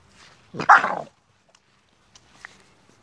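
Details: American Staffordshire Terrier puppies, 3.5 months old, from the Terierkowo kennel, 26 August 2017: one sharp, harsh bark lasting about half a second, followed by near silence with a few faint clicks and a soft short yelp.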